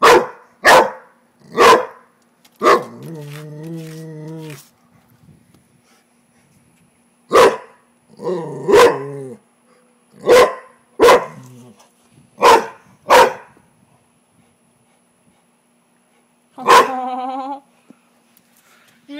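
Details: Pet Rottweiler LuLu barking at a frog she does not like: bursts of sharp, loud barks, some doubled, mixed with drawn-out whining howls, a long pause, then one more howling bark.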